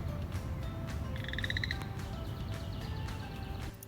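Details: Male chorus frogs sing in springtime in a Minnesota wetland to attract females: a brief rising trill of quick, evenly spaced pulses over a low rumbling background.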